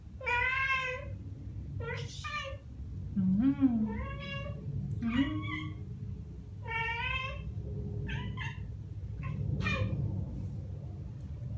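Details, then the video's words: Ragdoll pair Ao and Aki, aged one year and nine months, imitate birdsong with a rapid string of harmonic chirps and fluttering trills, many short calls in quick succession, with low murmured sounds and steady background hum. "고양이 채터링? Cat Chattering"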